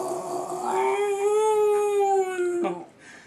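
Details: A beagle gives a long, steady howl that swells slightly and then breaks off in a short yelp while howling at himself on his favourite TV show.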